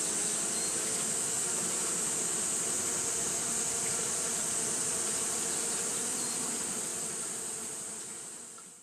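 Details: Japanese honey bees fanning steadily in the heat, a uniform layered buzzing hum with bright high hiss, holding level before fading out over the final two seconds.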